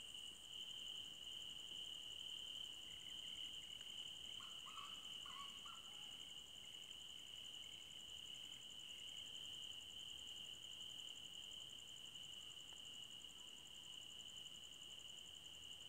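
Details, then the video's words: In a forest at night, crickets sustain a continuous high trill with a throbbing higher buzz overhead, while short, lower hoot-like notes come in a burst between three and six seconds. "Cricket Sounds For Sleeping"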